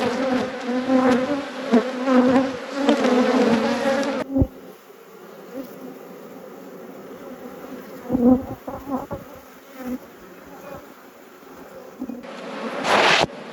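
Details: Honey bees at an apiary: a strong droning buzz for the first few seconds, then a much quieter hum broken by knocks and handling noises, with louder buzzing returning near the end.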